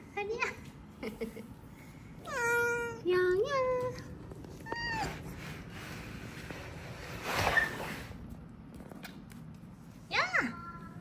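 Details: ['Small kittens found huddled together and weakening after a family funeral give a run of high, strained meows, some rising then falling, some clipped, with a long pause before a last sharp cry; faint human voice and room noise between.']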